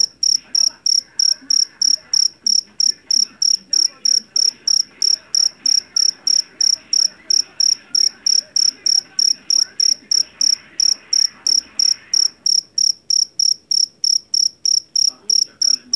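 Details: A jangkrik jeliteng, the Javanese cricket taken from a rice field and famed for its piercing voice for scaring off rats, chirps in a fast, even series of sharp pulsed bursts, with a faint mid-pitched background murmur.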